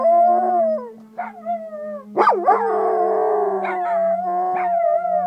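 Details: Several pet dogs in Nome, Alaska, howling along with the noon siren; wavering, sliding howls rise and fall with a sharp upward yelp midway, over a steady low siren drone throughout.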